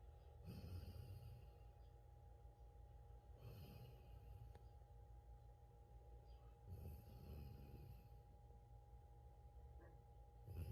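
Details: Old English Sheepdog snoring indoors. Soft, low rasping breaths return roughly every three seconds, each ending in a brief airy hiss, over a steady background hum.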